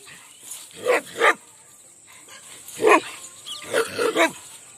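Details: Angry Rajapalayam hunting dog barking during a dog fight in an Indian village: five sharp, harsh barks, a quick pair, then a single bark, then a final cluster, with short quiet gaps between them.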